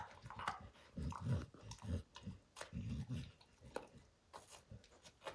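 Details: Max chomping on a baseball's hide gives a dense run of deep, thudding bites every half second or so, topped by quick sharp crackles from the tearing material.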